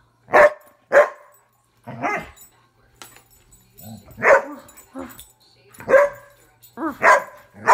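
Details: An Airedale Terrier barking during play with its owner: sharp, loud barks in an irregular series, around six over eight seconds, with softer lower grumbling sounds between them.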